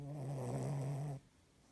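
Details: A 7-month-old female Cavalier King Charles Spaniel snores with a low, rumbling, steady drone that stops abruptly; owner says the clock change is wearing her out.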